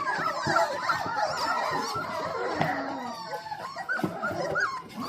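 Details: Hungry four-week-old Dalmatian pups awaiting dinner produce a dense tangle of thin, wavering whines and squeals, several voices overlapping continuously.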